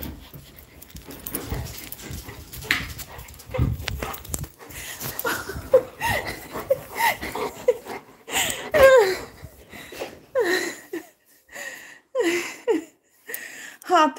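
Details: Labrador Retriever whimpering and panting, with thin high whines and soft breathy pants broken by short pauses, while people talk nearby.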